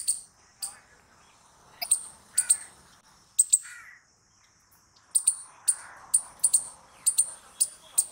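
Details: Squirrel giving sharp, high, dry chips, single or in close pairs, with pauses between bursts and a few softer, lower rasping notes in between.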